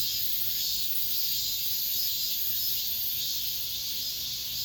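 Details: Late-summer cicadas in an apartment complex grounds, the season's final chorus: an unbroken high, hissing buzz that rises and fades slightly every second or two.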